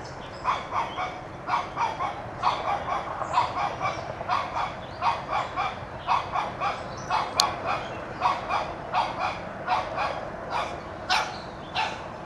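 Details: Shih Tzu puppy Toby, one year old, keeps up a long run of shrill yapping barks at a whitetail deer in his yard, irregular doubles and triples with a sharp click midway.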